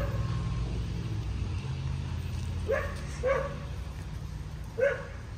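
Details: Cocker Spaniel Lola, aged two and a half, working on obedience around dogs amid anxiety with new people and places; three clipped barks spaced a second or more apart, set against heavy road-traffic drone.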